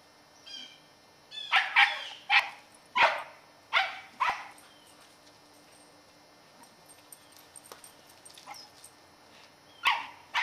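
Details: A 10-year-old female Scottish Terrier on squirrel patrol in November 2008 lets out a burst of about six sharp, high barks over three seconds, goes quiet, then barks twice more near the end; faint steady hum behind.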